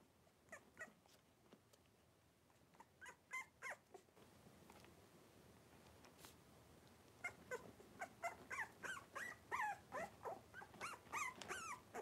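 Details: A litter of five blenheim Cavalier King Charles Spaniel puppies, three weeks old, wrestling indoors; scattered short yips at first, then a rapid run of squeaky, rising yelps and whimpers, several a second, over a soft hiss.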